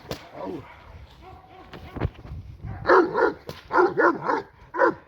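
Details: Working Presa Canario puppy G'Bomba de la Arena, seven months old, in Schutzdienst protection work for the first time with AVD e.V. A quiet start with a voice and sharp cracks, then a quick run of about seven loud, throaty barks.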